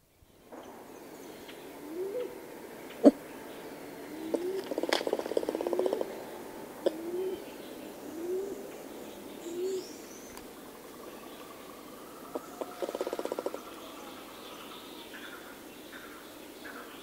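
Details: Single ring-tailed lemur recorded close up at Berenty in the south: short rising tonal calls repeated about every 1.3 seconds, with harsh buzzy growl bursts near the middle and end, and birds calling faintly in the distance.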